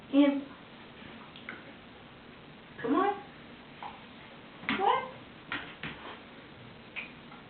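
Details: Pet Siberian Husky Wolfie refusing a bath at home; scattered short whining yelps that sweep upward then drop, about four separate bursts spaced a few seconds apart, with quiet room sounds between.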